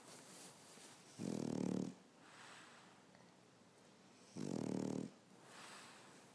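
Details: Sleeping French Bulldog dozing on its owner one Saturday afternoon, giving two harsh, rattling snores roughly three seconds apart, with quiet wheezy exhales in between.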